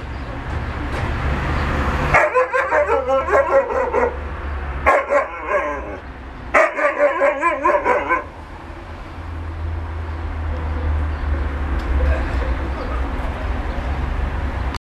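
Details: A Siberian Husky 'talks' in three wavering, yodel-like bursts, scolding an Alaskan Malamute for not playing.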